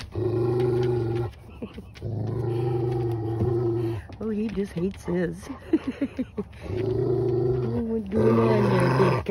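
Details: German Rottweiler pups give long, low, droning growls at the start and end, while people talk in the middle between them.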